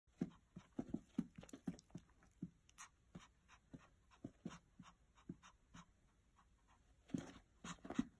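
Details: Pomeranian indoors wanting its owner to throw the ball for fetch; quick rhythmic panting bursts with a few short whiny yelps near the start and end.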